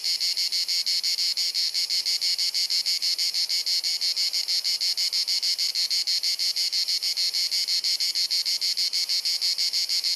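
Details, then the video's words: Cicadas singing in the Croatian summer heat of Dalmatia, sunny afternoon: dense, shrill, continuous rasping with quick rhythmic flutter, about three pulses a second, constant in loudness for the whole stretch; Panasonic Lumix recording. "Cicada Singing ☀️ Pjesma Cvrčka ☀️ Chant des Cigales ☀️ Zikaden Geräusche ☀️ アブラゼミ☀️Cigarra Cantando"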